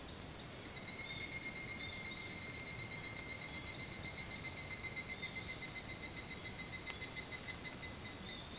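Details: Early-morning chorus of an evening cicada (higurashi), 4:30 a.m. on 28 July 2011 at Hitotsubashi University in Kunitachi, Tokyo: a shrill, evenly pulsed ringing call, about four pulses a second, rising in the first second and steady to the end.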